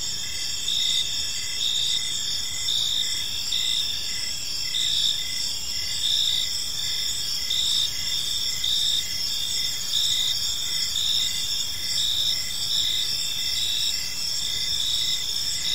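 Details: Gentle chirping of crickets in a serene park at dusk: a constant high, shimmering insect chorus with quick even pulses throughout, and quiet low ambient noise beneath.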